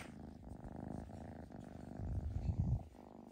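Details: Foster kitten being socialized indoors, purring steadily: a low, continuous rumbling throb that swells louder toward the end, close to the recorder.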